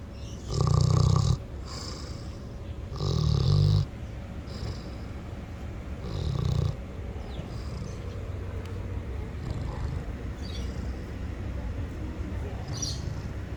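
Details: Miniature pig asleep at the Torias petting zoo, Torias Hisayama, snoring like an old man; loud rough snores roughly every two to three seconds at first, fading to softer breathing in the later half.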